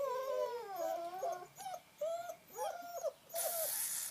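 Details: Long Coat German Shepherd puppies playing in the rain give high, wavering whines with rich harmonics, several rising-then-falling whimpers in quick succession, broken by short pauses, before a burst of hissing noise at the end.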